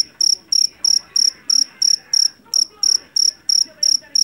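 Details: Loud, shrill chirps from a jangkrik jeliteng or Javanese cricket caught in a rice paddy, a sound used to drive rats from houses; bright pulsed bursts come roughly every third of a second over a soft low hum.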